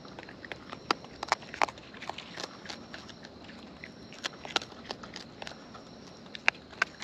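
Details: Wild raccoons feeding close up, their eating heard as sharp, irregular crunching and smacking clicks scattered through the stretch, over a faint steady high hum in the background.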